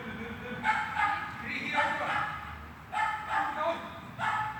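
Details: Dog at a training session inside a hall, 13 August 2021, giving several short echoing barks in quick bursts, with a human voice and room noise between them.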